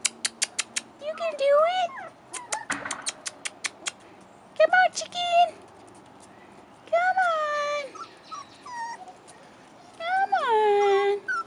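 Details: Four-and-a-half-week-old Rottweiler pups on their first trip outdoors whimper in drawn-out, wavering, descending cries several times, while a person calls them on and rapid clicks tick in short runs.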